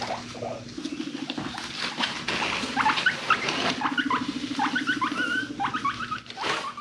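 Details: Domestic guinea pigs feeling frisky, chasing and rumblestrutting with deep purring sounds: a low pulsing purr runs beneath many short upward-sliding squeaks and chirps, with rustling bedding throughout.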